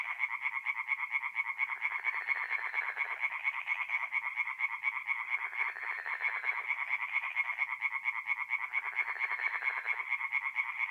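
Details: Tree frogs singing at night in a forest pond in mid-April, north-east Italy: a dense chorus of rapid, rasping croaks pulsing steadily in overlapping waves, several callers rising and falling together.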